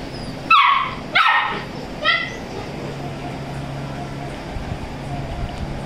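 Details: Labrador puppy yelping three times in a short series, the first two loud and squeaky, the third shorter and softer. A constant low background hum follows in the remaining seconds.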